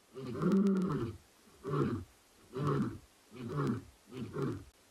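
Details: Two male lions vocalising at sunset on 9 September 2021 at Ngala Private Game Reserve, South Africa: a long deep moaning roar followed by four shorter grunting roars, each about a second apart, fading in force.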